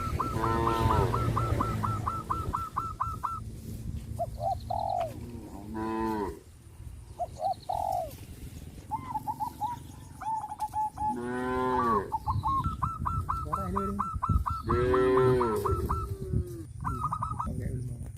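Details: Cows on a traditional village farm, driven to the rice fields once the harvest is over, moo several times across the stretch. Long runs of rapid repeated hooked notes from other farm animals mix in, with steady low background rumble.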